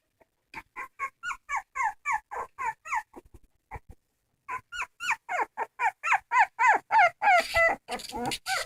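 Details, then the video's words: Crying dog giving steady, evenly spaced whimpers, each a short nasal whine that arches up and down. A short quiet gap comes near the middle, then the whines resume louder and faster before some scraping noise at the end. "Funny dogs crying"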